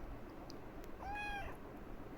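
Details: Domestic cat meowing while seeking affection, having climbed up onto something; a single clear, tonal meow rising slightly then level, lasting under half a second, over a quiet indoor background.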